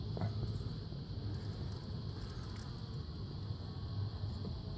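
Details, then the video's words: Honey bee swarm returning to a hive it abandoned the month before, recorded May 3, 2016 during a swarm capture: a dense, low, steady droning hum with a rough, fluttering texture, and light hiss above. "Bee Swarm 2016"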